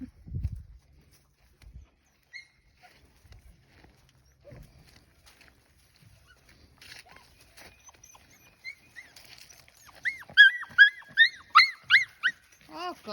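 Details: Puppies out exploring a farm give a quick run of short, arched, whining yelps, about eight in close succession near the end, after a long quiet stretch broken only by soft thumps and faint rustling outdoors.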